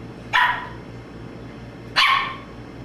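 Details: {'caption': 'Two single high-pitched barks from Boston Terrier puppy Domino, spaced about one and a half seconds apart over faint hum.'}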